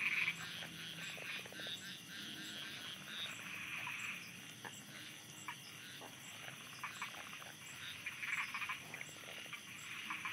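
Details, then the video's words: Night frog chorus from Thailand: many overlapping frogs croak in scattered bursts of quick pulses, uneven in loudness, over a constant high insect drone. "Thailand Night Frogs Soundscape"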